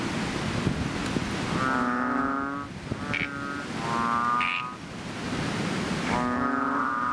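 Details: Chubby frogs, also called bubble, ox or bull frogs, calling loudly in a fishpond just after rain; deep droning, nasal croaks about a second long, overlapping from several frogs, repeated every few seconds.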